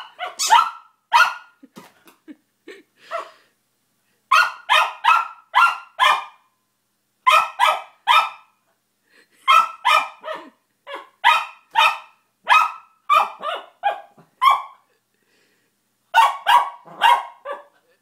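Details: Bentley, a pet dog, barks at his new squeaky toy while trying to work out how it functions: sharp, bright barks in rapid bursts of three to five, separated by short pauses, with faint squeaks between.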